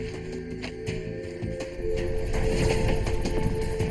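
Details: Layered electronic music with sustained tones and a louder rhythmic swell in the second half; no animal sound is heard.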